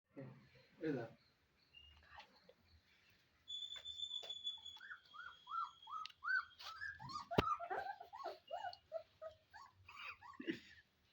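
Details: Golden Retriever puppies playing with a child: after a quiet start and a steady high tone, a run of short, high, arched whimpering yelps repeats rapidly, with a sharp knock and occasional voices.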